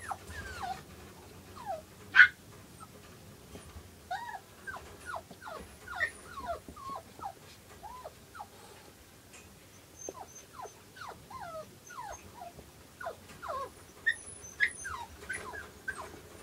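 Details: Newborn silver Toy Poodle puppies, a pair born 5 August and heard with their mother on 7 August 2011, squeak in quick falling peeps, in irregular bursts with short pauses, with a few louder yelps and soft handling noises.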